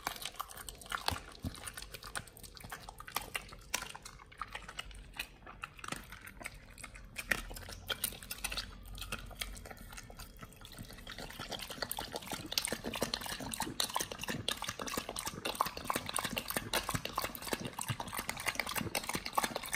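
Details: Nomyen, a Pit Bull, working through raw quails as a BARF meal, close ASMR recording: long run of fast dense crunching and wet chewing that grows busier and louder in the second half.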